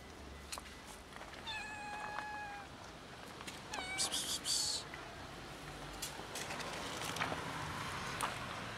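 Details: Black three-legged female cat meowing for food. Two meows, a longer steady one and a short rising-falling one, mixed with a person's sharp 'psst' hisses and faint background noise.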